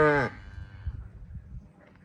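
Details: On the first day of weaning, as calves are separated from their mothers, with mother cows and a bull also calling, a short, rich cattle moo breaks off abruptly into low, rumbling background noise.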